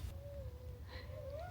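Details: Coyotes calling loudly at the start of the Seven Falls hike via Bear Canyon Road, Tucson, Arizona, in February; a long, steady, wavering tone that dips, then rises at the end, over low rumbling background.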